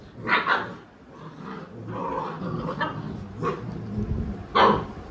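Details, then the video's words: A Labrador Retriever mother, described as aggressive, disciplines her naughty puppies: two quick sharp barks open, a rumbling growl runs through the middle, and further barks come near 3.5 and 4.6 seconds. "Aggressive dog |बदमाश बच्चों को माँ ने सिखया पाठ"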